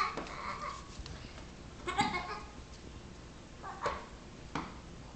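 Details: A six-week-old Nigerian Dwarf baby goat pestering a Yorkshire Terrier gives short, wavering bleats, several spaced a second or two apart, over a faint background hiss.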